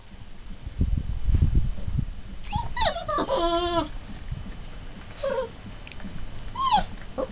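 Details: Twenty-day-old Turkmen Alabai puppies whimpering: a few thin, wavering whines that rise and fall, one long harmonic whine near the middle and a rising squeak at the end, after low muffled rumbling and handling noise.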